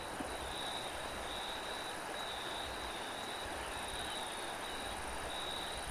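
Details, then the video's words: Crickets with wind: a steady, high, finely pulsed trill runs unbroken through the whole stretch, with a fainter, even higher band above it, all over a constant broad hiss of wind. "Cricket and wind"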